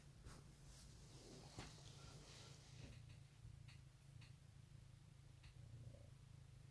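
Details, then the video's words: Pet cat purring on an Easter 2018 morning: a quieter, constant low vibration under faint hiss, with scattered light clicks and taps through the recording. "Goodmorning Purrs"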